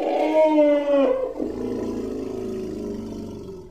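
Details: Baby elephant at play: a loud harmonic hoot lasting about a second trails into a rough, fading groan over a low background rumble.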